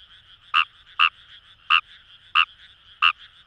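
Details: Numagaeru croaking in rice paddies at Itoshima, Fukuoka, Japan: five short, bright croaks in three and a half seconds, roughly every half second, with a soft frog chorus filling the background.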